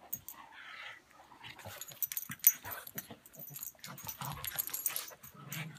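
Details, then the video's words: Two dogs, a pug named Buster and an English mastiff named Patton, play-fighting: low rumbling growls mixed with wheezy snorts and brief whimpers, with scuffling throughout. "Buster the pug vs. Patton the English mastiff"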